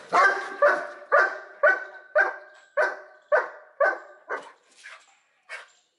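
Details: Dobermann Pinscher, once a shy, insecure dog and now trained as a guard dog, barking while guarding his owner: sharp, ringing barks about twice a second, a steady run of ten that fades to a few weaker, spaced barks.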